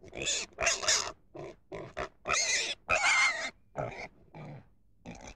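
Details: Pig giving loud, harsh squealing grunts in about ten separate bursts, some short and some drawn out for half a second, with brief quiet gaps between them.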